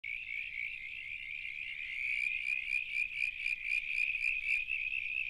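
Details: Two Southern Brown Tree Frogs sitting in a wet spot at a constructed pond wetland in the Grampians, Australia, waiting for insects; steady high-pitched pulsing trill, a fast continuous creaking rattle with a buzzier layer joining midway, no other sounds.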